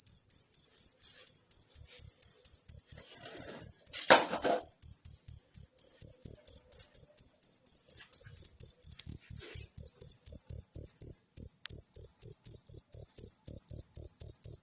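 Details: Cricket heard in nature, recorded to teach songbirds, chirping high and steady about twice a second; a short loud knock breaks in near four seconds, then soft low thumps.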